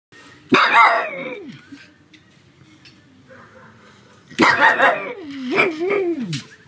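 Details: Pug dog barking loudly at home on a sunny afternoon: two harsh, broad barks about four seconds apart, the second trailing into a wavering, howl-like whine that dips and rises before fading; quiet room background between.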